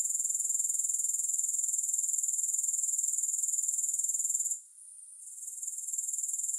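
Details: Grasshoppers heard without music: a steady, very high, shrill trill pulsing about four times per second, briefly dipping quieter past the midpoint before resuming at full strength.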